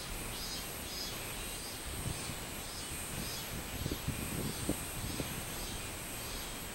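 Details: Robust cicada (minmin-zemi) singing on 24 July 2016: faint, buzzy high pulses repeating roughly every 0.6 seconds over a steady high-pitched whine and a low background rumble.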